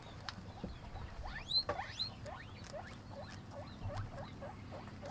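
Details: Guinea pig eating, producing quick upward-sweeping squeaks, some sharp and high, repeated several times a second alongside soft clicking and crunching noises.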